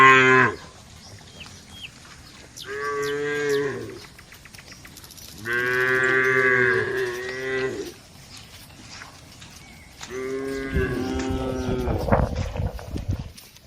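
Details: Herd of dozens of tame cattle walking to the barn, mooing in three long harmonic calls and a shorter one, some rough and drawn out, with gaps between; faint bird chirps in the background.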